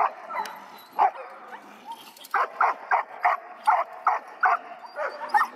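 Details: Rapid barking from Echo, a young male dog of seven months started in bitework: a couple of isolated barks, a short lull, then a quick, regular string of loud, clipped barks.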